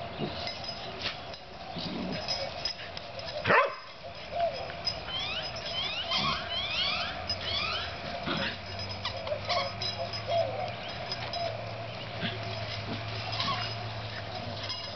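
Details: Playful puppies Oreo and Brutus: one abrupt loud yip, then a run of thin, high, sweeping whines and squeaks, with low continuous hum and scuffling throughout.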